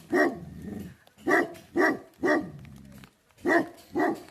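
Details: Tibetan Mastiff guardian dog from Nepal, called Bhote Kukur, alternating six heavy barks with low rumbling growls between them, barks spaced about half a second to a second apart.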